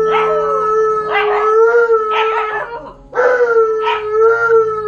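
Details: Malamute and husky howling while left at home alone for the first time: steady drawn-out tones with slurred, quavering rises and falls, two voices interweaving, a short lull, then another burst.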